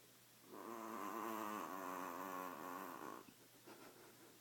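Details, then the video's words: Sleeping badger snoring noisily: one long rasping, pulsed breath of about two and a half seconds with a buzzy, vibrating quality, followed by quiet. "Sleepy Snoring Badger"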